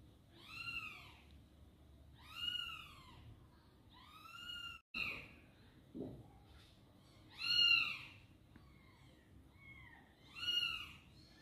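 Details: Domestic mother cat meowing while trying to carry her baby kitten in a box: arched, tonal meows rising then falling, about five in eleven seconds, spaced roughly every two to three seconds, with a brief thump midway.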